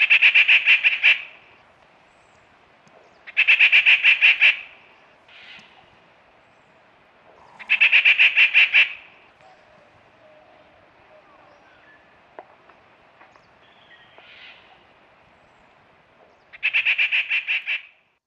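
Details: Smooth-coated otters fishing in the Karnali River, Bardia National Park, Nepal, give loud, harsh, buzzy screeching bursts about a second long, repeated every few seconds, with softer squeaks between.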